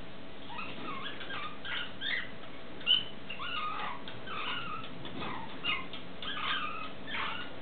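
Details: Stone marten pup at feeding time giving high, squeaky chirps and short twittering calls in quick irregular bursts, several rising and falling, over a steady low background hum.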